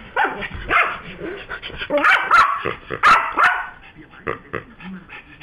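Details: Yorkshire Terrier at home, worked up after its new squeaky toy pig was taken away; sharp barks come in bursts with growly sounds between them, and some talking underneath.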